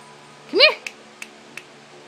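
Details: Dog at home during a scuffle as a new puppy attacks an older dog named Teddy: one short whining yelp that rises then falls, followed by a few sharp clicks and taps in a quiet room.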